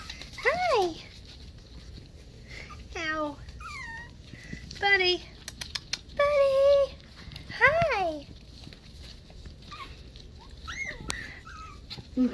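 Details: Several Havanese puppies indoors on 20 January 2020 whining repeatedly, with arching, wavering high whimpers every second or two, some drawn out, while a person speaks softly nearby.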